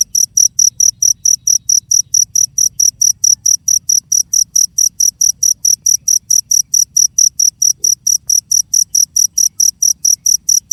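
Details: A cricket calls with an unbroken run of sharp, high-pitched pulses at about four per second, very regular and loud, with only a soft low background murmur.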